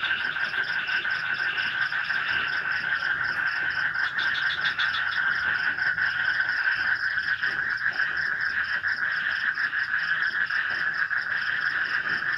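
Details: Swamp frogs at night during light rain in an Indonesian village forest, their massed croaking a steady throbbing drone; a brief louder burst of higher calls rises near the fourth second, with faint insect trilling above.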